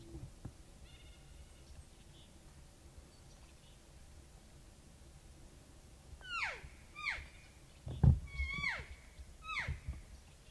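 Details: Bull elk in the rut on September 7, 2018, during an archery hunt, sounding off from a ridge point between two basins after calling, about 35 yards away: five sharp, descending, harmonic squeals in quick succession after a quiet start, with one low thump.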